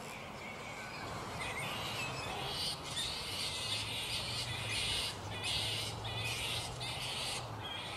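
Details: Black flying foxes in their roost at mid-morning, not yet settled for the day: dense, harsh, overlapping screeches and squabbling chatter, rising into louder bursts about every second, with a steady hum beneath.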